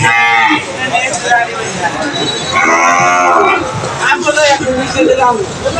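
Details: Friesian bulls at Putia cattle market in Bangladesh, brought for sale and being unloaded from a vehicle; a long, drawn-out harmonic moo swells in the middle of the clip over a steady background of market crowd noise.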